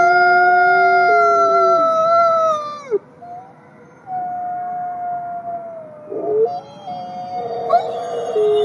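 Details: Male gray wolf born in captivity at a conservation center in South Salem, New York, giving a long smooth howl that slides downward and fades, a pause, then a softer wavering howl rising back up with brief yips near the end.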